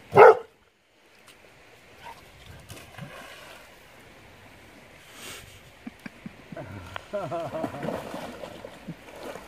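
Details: Puppies, Oskar and Cooper, filmed in 2017: a single sharp, loud bark bursts out at the start, then near quiet, with softer wavering whimper-like tones and human voices building toward the end.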